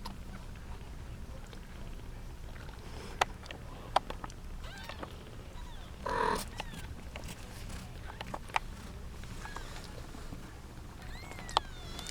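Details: Young kittens, seven female and one male in a litter of eight, jostle for their eight-month-old mother indoors; thin rising-falling mews come now and then over rustling and soft clicks, with a short burst of noise midway.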